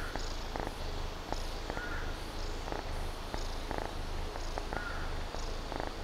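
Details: A drowsy but playful kitten purrs during hot, humid, rainy weather; a continuous deep throaty rumble swells and eases rhythmically with its breathing, close and even throughout.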